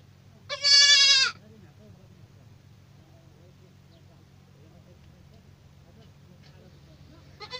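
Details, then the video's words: Young goat kid bleating: one loud, wavering, nasal bleat lasting under a second, rich in overtones, followed by quiet with a low steady hum and a second bleat starting at the very end. "صوت صغار الماعز"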